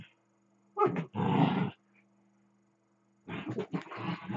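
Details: Dachshund growling during play with a second dachshund, one dog lying still while the other runs around it; two deep, rough, rumbling growl bursts about a second long, separated by a quiet pause, over a faint steady hum.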